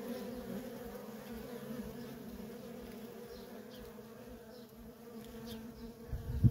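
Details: Continuous droning hum from worker honey bees streaming in and out of a feral colony. Steady low buzz with a higher overtone, and a sudden loud low rumble at the very end.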